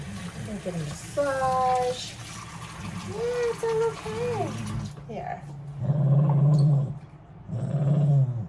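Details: Bath time for The General, a shelter wire-haired dachshund: a woman talks gently over running water, then two low steady grumbling growls of about a second each follow as the dog protests.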